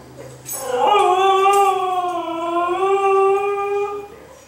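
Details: Indoor female Siberian husky, restless for a walk after two days of moving house with no exercise, gives one long rich howl lasting about three seconds, rising slightly and wavering gently before fading; a few soft knocks precede it.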